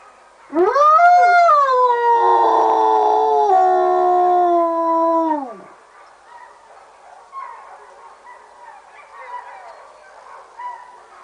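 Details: A sled dog at a mushing school in Fusine in Valromana, Tarvisio, Italy, in winter 2011/2012 gives a long "wolf song" howl that rises, holds steady, then slides down and fades.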